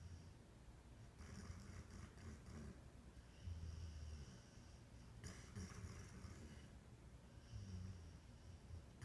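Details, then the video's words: Dreaming in her sleep, Tricksy the dog snores steadily with deep, droning breaths and two sharper snorting inhalations about four seconds apart, indoors with a faint steady background hum. "Our dog Tricksy dreaming, hiccuping, snoring"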